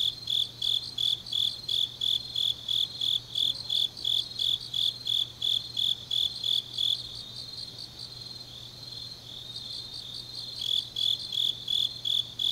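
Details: Grass insects on a deep autumn night in Changnyeong, Korea, giving high rhythmic chirps at about three per second for seven seconds, a quieter stretch of faint trilling, then the pulsing song returning, over a low steady hum.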